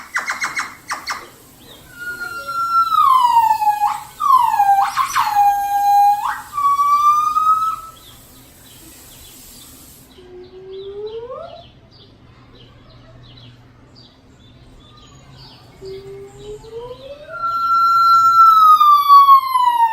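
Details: Gibbons at Los Angeles Zoo, whose calls ring through the zoo all day: loud whistled hoots swooping down then up, rapid in the first half, then a lull and softer rising notes before a long sliding whistle.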